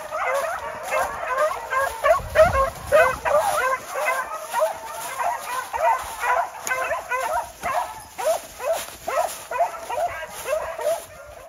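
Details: Rabbit hunting dogs out in an Arkansas swamp near Dewitt, baying after jumping a swamp rabbit about 60 yards away; steady rhythmic chorus of yelping barks, several per second, continuing throughout, with faint distant voices.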